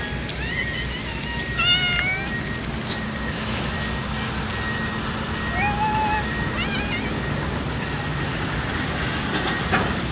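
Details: Stray ear-tipped TNR cats in light rainy-season drizzle in Japan, meowing before being fed: several short, rising-then-falling meows in quick bursts early and again near six seconds, over a steady hiss of rain and a low hum.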